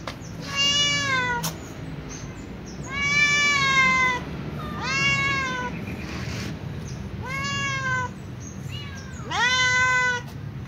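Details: Meowing calico cat heading for its regular feeding spot with other cats: five long, clear meows roughly every two seconds, several rising at the start then levelling, with steady low rumble beneath.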